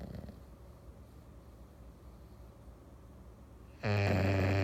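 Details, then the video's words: English Bulldog on a Sunday afternoon, near-silent breathing for almost four seconds, then a sudden loud, buzzy snore begins and runs to the end. "English Bulldog snoring"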